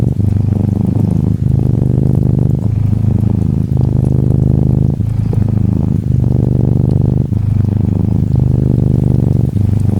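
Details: A curled-up orange tabby Norwegian Forest cat kitten purrs steadily, a low rumbling throb that swells and pauses with each breath.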